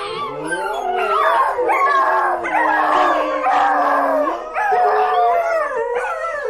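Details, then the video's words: Several overlapping dog howls form a dense, wavering chorus, with drawn-out tones sliding up and down and brief dips between swells of sound. "Köpek Uluma sesi/dog Howling sound"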